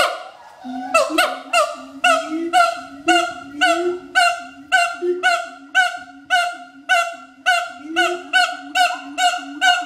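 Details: At Schmutzer Primate Center, an adult siamang pair advertises its territory with a duet of steady, rapid, honking barks, nearly two per second, over a low wavering tone that rises and falls.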